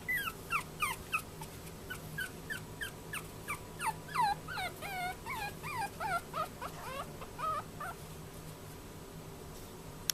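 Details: Young male Chihuahua, born 14 February 2013, kept at a pet shop in Yokosuka, Kanagawa, Japan: a run of high, wavering whimpers and yips that slows and fades toward the end, over a faint room hum.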